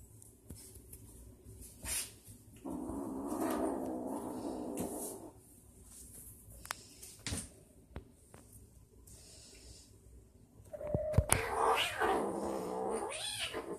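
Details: Vicious kitten hissing at a Siamese cat yet still playing with him indoors; a rasping, growling hiss lasts about three seconds, sharp short spits follow, then a drawn-out wavering yowl rises near the end.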